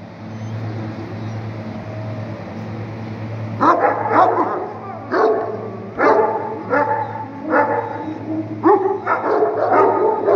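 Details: Bully Kutta hunting dog in Punjab, Pakistan, barking in a hunting setting: after three quiet seconds, deep rough barks come in irregular bursts and pairs over a steady low mechanical hum.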